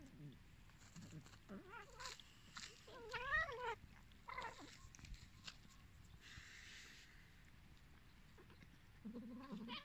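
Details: Hungry abandoned cats meowing: a string of short, wavering, rising-and-falling meows over about four seconds, then a quieter stretch with a hissing burst, and fresh meows near the end.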